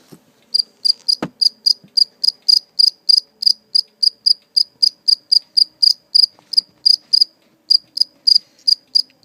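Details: A captured live cricket, later released, chirps steadily in short, high, pure-toned pulses about three times a second.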